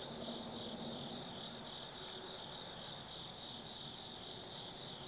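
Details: Night-time autumn insects in the forest of Tsukimi no Mori above the Nobi Plain, Japan: layered trilling chorus with scattered quick high chirps and a steady low background rumble.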